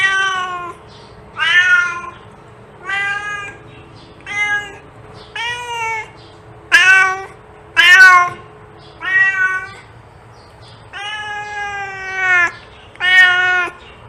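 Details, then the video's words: Cat meows used to attract cats, about eleven separate calls in quick succession, each a short bright mew with a bending pitch, a few longer and more plaintive, over a low constant background hum. "Cat sound to attract cats"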